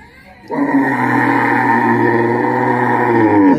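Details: Cow mooing during milking: one long, steady, low droning moo lasting about three seconds, even in loudness throughout, after a brief quiet start.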